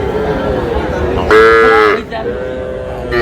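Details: Young Sahiwal calf at a purchase by a farmer from Shariatpur, 11 August, lets out a strong, steady, nasal moo lasting under a second in the middle. Men talking are heard before and after the call.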